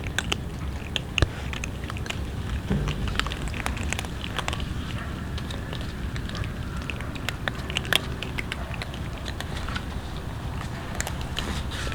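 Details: Dense crunching, biting and crackling of many animals eating, steady throughout with sharp clicks, and no calls or vocalizations.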